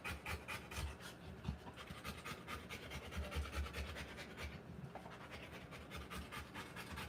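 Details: Rottweiler panting while giving birth to puppies, the quick breaths less even here, with low thumps and rustling underneath and a brief lull in the breathing near the middle.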